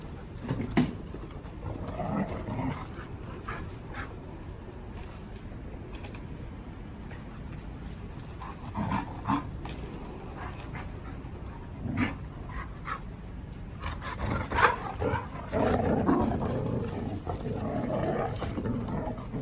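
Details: Three household dogs (two male Samoyed–Chow Chow mixes and a lively female blue merle Border Collie) romp together in a room, giving scattered short whimpers and yips at irregular intervals amid shuffling, scrabbling noises and occasional human voices.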